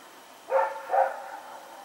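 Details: A dog named Rex barking while running around at night, September 21, 2018: two quick harmonic barks about half a second apart, the second trailing off, against a quiet background.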